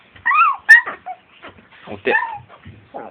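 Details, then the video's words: Chiwako, a female Long Coat Chihuahua born in 2010, in everyday home footage gives short, bending, nasal whines and a squeaky yelp, mixed with a person's voice giving the 'paw' command. "ロングコートチワワの鳴き声集 キュンキュン可愛い鳴き声から唸り声まで♪ Long coat chihuahua cry"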